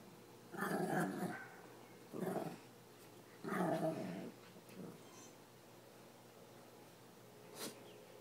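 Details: Small pet dogs, a chihuahua and a Pekingese, playful after a swim; three throaty growling bursts in the first half, then fainter grumbles and a brief sharp click, over a steady background hiss.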